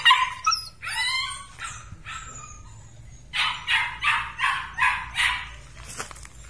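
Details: Belgian Malinois puppies from a red and black litter: several high yips with bent, wavering pitch, then a run of six evenly spaced sharp barks about a third of a second apart, with a faint hum underneath.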